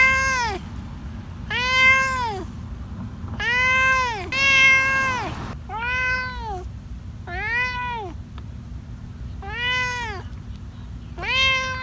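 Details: Cat giving a steady run of rounded, arching meows, about one every 1.5 seconds, each with many clear harmonics, over a constant low hum.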